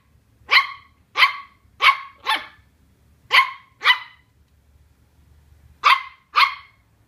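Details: Barks from Colin, a young Welsh Terrier unnerved by a cardboard box: sharp bursts in two quick runs of four and two, a pause of nearly two seconds, then two more.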